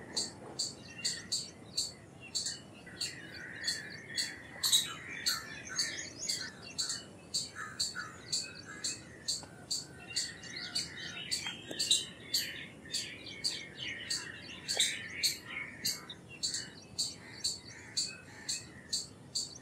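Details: Long, rhythmic run of high, sharp chirps from an Indian palm squirrel, roughly two per second without pause, while other birds warble and twitter softly in the background.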